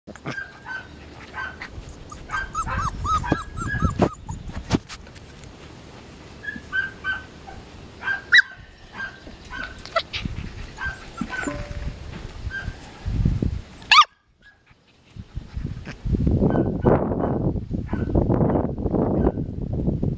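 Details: Five-week-old Samoyed puppies from the Dancer x Azure litter, recorded on 5 July 2014, give short high yips and thin whimpers in repeated bursts, mixed with low thumping and rustling handling noise and a brief quiet gap near the end.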